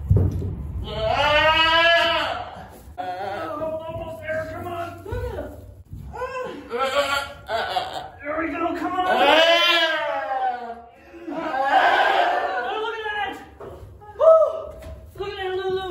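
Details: Goat in labour, giving birth on a homestead, letting out long, wavering, nasal bleats, loud and drawn out near the start, again around the middle and later, with quieter broken calls between and human voices talking nearby.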